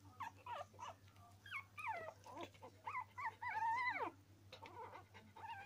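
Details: Norwich Terrier puppies crying in wavering, bending whines, one drawn-out complaining squeal near the middle sliding down at its end, between choppy short yelps, over a faint steady hum.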